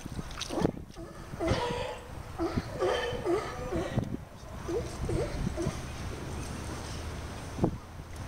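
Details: Young sea lions playing at Monterey: a quick run of short, yelping calls that dip and rise, several in the middle seconds and a sharper one near the end, over splashing water and low rumbling background noise.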